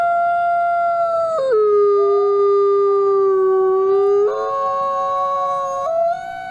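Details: Wolf from the Wolf Conservation Center giving a long smooth howl that steps down from a higher note to a low held tone, then jumps back up in stages before fading slightly at the close.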